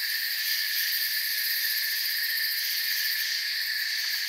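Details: Crickets chirping in a forest form an even, high-pitched buzzing drone of layered tones with a fast faint beat in the uppermost band, steady volume, and no other sound.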